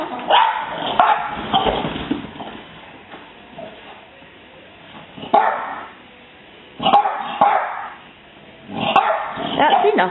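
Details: Several French Bulldogs, raised with cats as puppies, bark in sharp, gruff bursts at a neighbourhood cat spotted outside, with a person talking nearby.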